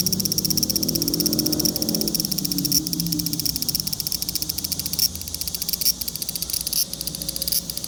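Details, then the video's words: Large brown cicada giving a continuous high sizzle that breaks into rapid, regular pulsing in the later seconds, over a faint low rumble. "유지매미 울음소리"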